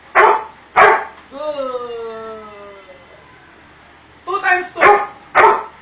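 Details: Doberman Pinscher in obedience training gives two loud barks, then a long, slowly falling tonal whine lasting nearly two seconds, followed after a pause by a cluster of quick barks and yips.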